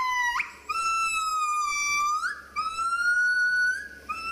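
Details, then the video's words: Gibbons at play, jumping with each other while calling: loud, clear, rich-toned whoops, each a long steady note that climbs sharply at its end, with quick upward sweeps between, two long phrases in a row. "Cute monkeys gibbons having fun and jumping with each other....and also making sounds"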